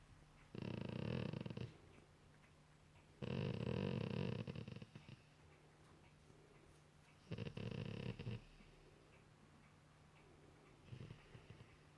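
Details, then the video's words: Golden Retriever relaxing on a couch at night while cuddled and ear-scratched; three rumbling, throaty groans of one to one and a half seconds, then a fainter short one, over a low steady hum. "Dog making weird noises"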